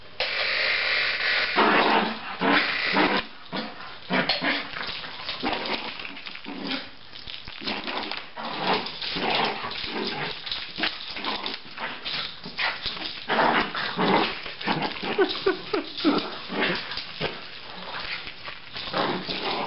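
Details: Poodle acting wild after a bath: a busy run of short, sharp barks and huffs in irregular bursts, some close together, others spaced apart, with rustling and scrabbling movement noise throughout.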